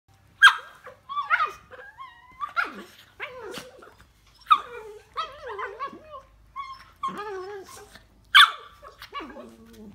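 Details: A Miniature Dachshund playing with another dog gives sharp, high yips and barks mixed with whiny, wavering growls.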